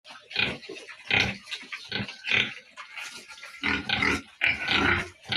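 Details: Piglets on a pig farm: harsh, noisy squealing grunts in loud bursts roughly every three-quarters of a second, several animals overlapping.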